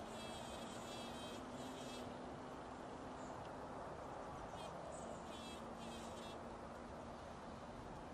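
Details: A bumblebee hums with a low, steady drone that holds one pitch for several seconds, partly fading midway, under broad rushing background noise and bursts of high, rapidly pulsing chirps from other creatures.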